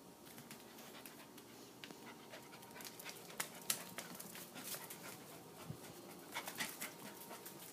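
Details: Female corgi pup aged three months dashing about in a burst of play, giving quick soft breathy puffs that patter along steadily, faint and airy, with occasional clicks of paws or handling.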